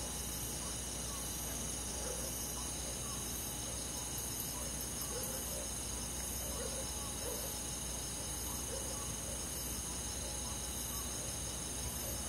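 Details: Nighttime summer chorus of crickets and forest insects, steady high-pitched trilling throughout, with soft lower pulsed notes recurring every second or two and a faint rumble underneath.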